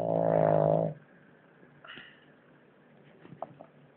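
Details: A sleeping French Bulldog snores in what is described as its loudest snoring yet: one loud, deep, rattling snore lasting about a second, followed by near silence with faint breathy noises and a few soft clicks.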